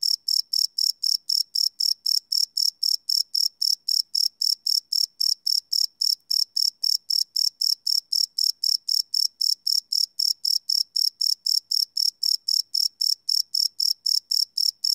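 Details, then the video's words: Crickets calling at night, field-recorded live with a Sony PCM D100; rapid, regular high trills pulse roughly four times per second without interruption, nothing else audible. "Cricket Chirp Sound - Cricket Sounds at Night"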